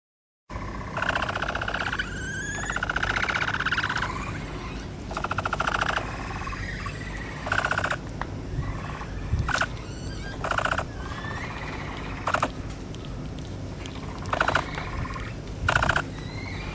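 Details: Capybara on display in the Capybara Forest at Nasu Animal Kingdom, Japan, giving a series of short, clicking, chirping calls in bursts, some with rising whistled tones around two to four seconds in, spaced irregularly over steady low background hum.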